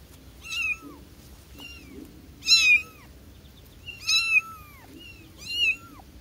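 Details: Young kitten calling for its mother with five high, piercing meows spaced about a second apart, each a short rising-then-falling cry rich in overtones, the middle ones loudest, over faint low room noise.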